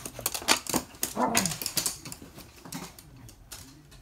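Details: Toy Poodles playing together indoors during their usual morning obstacle run; short harmonic yips and growly bursts crowd the first two seconds, then quieter pattering of paws and light clatter follow.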